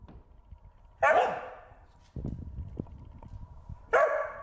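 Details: Corgi Wynee herding a bee gives two loud, sharp barks about three seconds apart, with rustling and scraping sounds and a faint steady hum in between.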